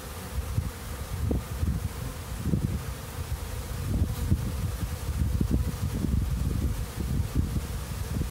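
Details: Honey bees buzzing at a busy hive entrance: a deep, droning hum that swells in short bursts as individual bees pass close, over a constant background drone.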